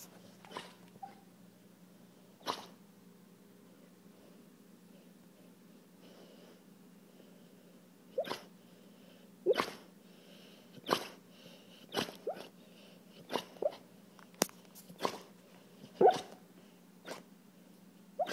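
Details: Colby, a pet dog, makes strange sounds while sleeping and dreaming: short, sharp snorts and huffs, scattered at first, then coming every second or so, over a quiet, steady low hum.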